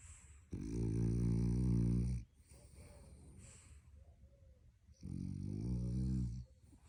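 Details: French Bulldog puppy asleep and apparently dreaming, snoring loudly: two long, deep, rattling snores of about one and a half seconds each, separated by quieter breathing.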